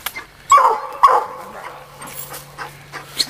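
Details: Young female Black and Tan Coonhound on a coon hunt, two sharp barks half a second apart, then quieter whimpering and faint low engine hum.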